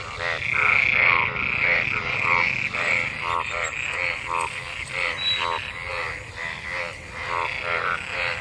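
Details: Frogs gathered in rain-filled water after monsoon rain, mating and calling; a crowded chorus of nasal, harmonic croaks repeated about two to three per second, overlapping unevenly.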